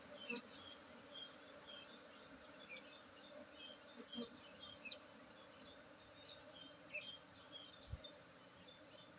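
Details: Constant buzzing drone of honey bees at the Tingkem village apiary, Bener Meriah, Aceh, during the 19 August 2023 honey harvest, overlaid by frequent scattered high-pitched chirps and a few low bumps.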